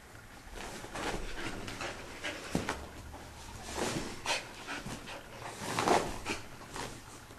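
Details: Belle, a pet dog that does not like being wet, during her usual routine right after a bath indoors: quick breathy panting huffs in an uneven rhythm, growing louder toward the end, with a sharp click partway through.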